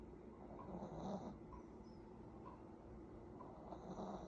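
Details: An Affenpinscher dog snores while sleeping, giving low rumbling, rasping breaths with small nasal squeaks on several of them, unevenly spaced, against a constant low background hum.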